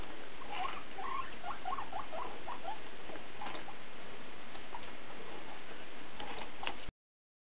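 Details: Domestic guinea pig, mostly one animal talking in a back-and-forth exchange; soft chirping squeaks and chattering notes around the middle range, clustered in the first two seconds, over steady rushing background hiss, ending abruptly.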